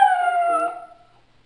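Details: Two dogs howling and singing: a single sustained, smooth howl with clear harmonics, steady then fading out after about a second.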